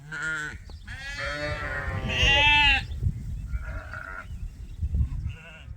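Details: Domestic sheep on a farm, let out in early June to graze before nightfall, give a run of loud quavering bleats, one rising and strained, then shorter softer calls, with low background rumble.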